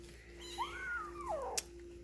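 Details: Three-week-old Egyptian Mau kitten, a bronze male from a litter filmed on 12 September 2019, gives one thin rising-then-falling meow lasting about a second, with a faint steady hum behind it.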